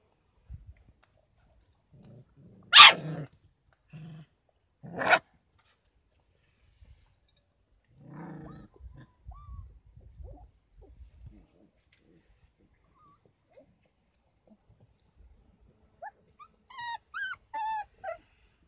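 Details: Kangal puppies aged 33 days at a dog-breeding farm, given goat milk and formula as a supplement: two sharp high yelps, soft grunting growls, then a run of thin, wavering high-pitched whimpers at the end.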